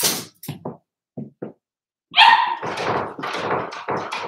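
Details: Four-week-old Cavalier King Charles Spaniel puppies, Daisy's litter, in an indoor pen. A few soft thumps and scuffles come first, then a loud rising yelp and a run of squeaky barks and whines.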